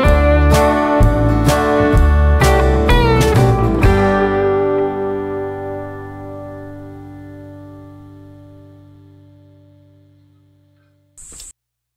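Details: Strummed guitar chords ring out and fade slowly, ending with a brief burst of noise; no animal is heard.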